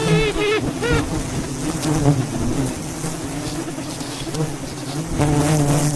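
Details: Wild bees swarm around a giant beehive being harvested in the mountains. A continuous low drone hums throughout, and short vocal exclamations rise above it at the start and again near the end.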